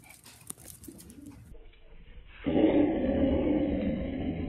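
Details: Angry female Morkie growling because she does not want a puppy near her: faint indoor rustling and taps, then a loud, steady, rough low rumble starts midway and continues unbroken to the end.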